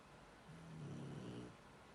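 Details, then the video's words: Sleeping Shar Pei snoring: a single low, droning snore with a steady buzzy tone lasting about a second, then fading back into a quiet room hum. "Как храпит шарпей"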